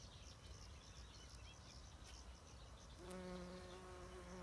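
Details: Greenhouse-reared bumblebee at an apiary, gathering pollen: after three seconds of noisy rustle, a strong, even, low buzzing drone sets in and holds steadily to the end.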